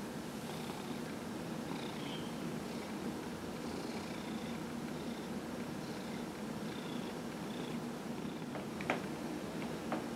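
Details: Dillard the cat, aged 15, purrs throughout a massage from his human on November 27, 2018; a droning, unbroken rumble with gentle rhythmic breath pulses, and a few sharp clicks near the end.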